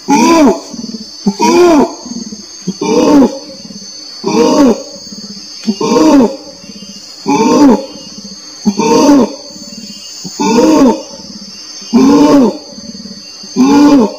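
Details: Long steady run of orangutan calls, ten deep, rounded, harmonic pulses spaced evenly about every one and a half seconds, with soft low grumbles between them and a persistent high whine throughout.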